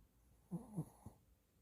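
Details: Two short, low rasping snores from a sleeping Shih Tzu, followed quickly by a soft nasal click, then quiet breathing.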